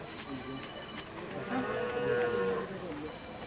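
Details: Madura racing cattle (karapan sapi) rampaging during practice at the Asemanis track, Pamekasan, Madura, East Java, Indonesia; a drawn-out, harmonic moo swells in the second half over crowd chatter and background noise.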